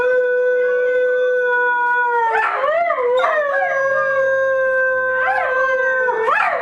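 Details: Several dogs howl together: one long, steady, clear tone runs throughout while other voices break in with short, wavering, yelping howls at intervals.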